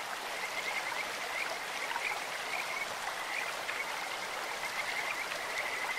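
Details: Kajika frog in a stream giving short, high whistled notes in quick bursts, some slightly rising, spaced every half second or so, against a loud, steady splash and rush of stream water.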